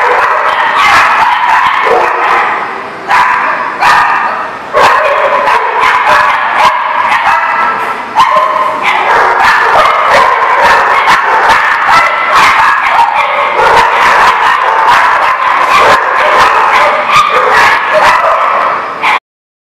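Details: Dogs barking at a place called The Barking Lot, recorded 4/7/18; dense, continuous overlapping barks and yips from several dogs with sharp bursts throughout, forming a loud steady chorus.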